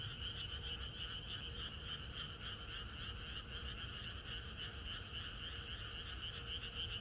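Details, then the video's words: Night-before-rain frog chorus in the countryside: dense, rapid croaking from many frogs forms an even, pulsing trill that never pauses, with a faint steady tone underneath. "개구리들의합창#비가 오려나?이것이 자연의 소리 ~개구리들의 합창"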